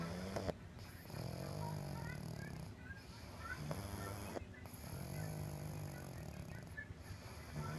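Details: Pug snoring, a low rasping rumble that swells and fades in long breaths roughly every two seconds, with a crackling, gurgling texture and faint background hiss.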